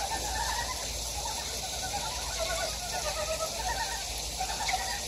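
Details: Frog chorus in a mountain valley of Gyejoksan, Daejeon's Daedeok-gu, South Korea, with rapid, rattling pulsed notes overlapping continuously beneath a constant bright wash of flowing water.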